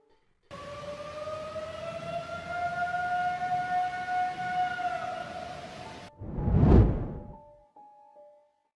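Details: A long wailing siren rises and falls over low rumble, then a sharp loud thud and faint tones; no animal voice.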